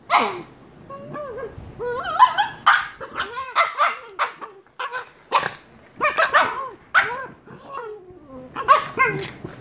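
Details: Two 114-day-old Shiba Inu puppies yelp and whine in quick, high, bending notes, with sharp little barks mixed in.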